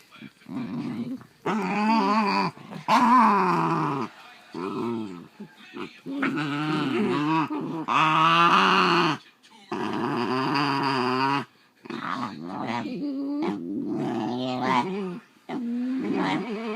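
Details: Tense indoor exchange between two pet Basenjis over a toy: long, undulating growls that swell and dip in pitch, repeated in bursts of one to two seconds, with a person speaking softly at times.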